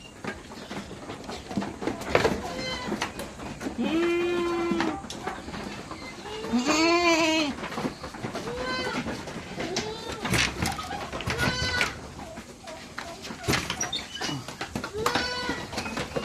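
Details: Goats in summer on a Philippine farm bleat before being let out in the morning, with two loud, drawn-out, quavering calls standing out among fainter overlapping bleats from the herd, plus background music.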